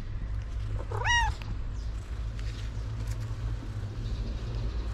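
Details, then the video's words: Stray street cat, curious because it knows food is in a backpack, gives a single clear rising-then-falling meow about one second in. A steady low rumble of traffic runs beneath throughout. "The Stray Cats Were Curious Because They Knew The Food Was In The Backpack."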